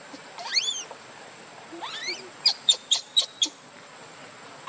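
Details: Hungry baby monkey Leo cries for its mother's milk: two thin rising wails, then five short sharp squeaks in fast succession.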